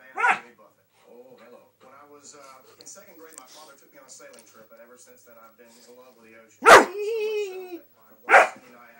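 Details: Dog named Cas going nuts as a family member hides his head, letting out three sharp, loud barks, one drawn out into a short wavering howl, with soft human talking in the quiet gaps between.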